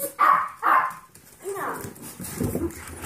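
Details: Two sharp, high puppy barks in quick succession, then people talking: 5-week-old Yorkshire Terrier foster puppies barking at 13-week-old Golden Retriever mix foster puppies.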